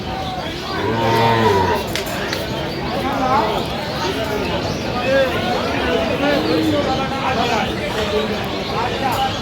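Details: Cows with calves at Aftabganj cattle market in Dinajpur, Bangladesh, 15 November 2025, mooing low and drawn out near the start, then further lowing calls amid the chatter of haggling buyers and sellers.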